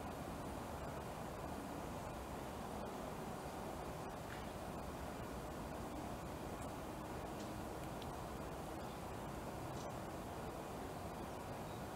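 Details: Steady broadband hiss of outdoor noise with a faint low rumble, no clear animal calls heard.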